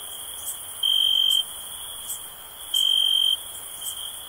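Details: Two clean, high cricket chirps nearly two seconds apart, each a steady ringing tone of about half a second, set over a persistent thin insect whine, recorded for sleep and relaxation.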